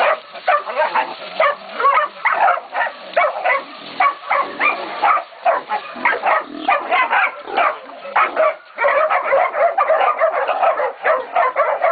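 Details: Young Catahoula and BMC pups, 11 to 16 weeks old, bay a pig at Golden Creek Catahoulas Kennel: dense overlapping yelping barks in quick bursts, a short lull near the middle, then a steady run of calls.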